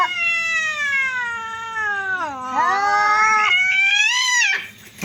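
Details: Cats fight with very loud, odd-sounding cries: one sustained yowl glides downward, then climbs into a higher strained wail before stopping abruptly.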